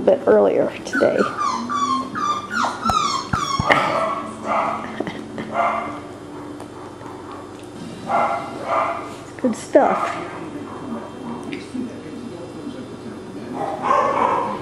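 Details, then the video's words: Cockapoo puppies, the male littermates Kujo, Louie, Oliver and Bo, in April 2014, let out a cluster of thin, high stepped yips in the first four seconds, followed by mostly human voices and soft rustling. "Male Cockapoo Puppies"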